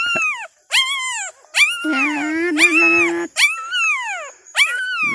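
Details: Newborn Thai dog puppies, two days old, one of a litter of five with their mother; loud, high, arching whines that rise then slide down, repeated about once a second, with a person's low voice speaking in the middle.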